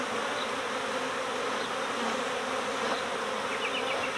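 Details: Swarming honeybees in early swarm season, a colony being recovered from next door and shaken into a hive. A dense, unbroken buzzing drone fills the whole stretch at an even loudness.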